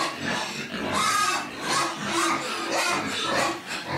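Piglets squeal in harsh, high bursts, several short cries following one another over a noisy background.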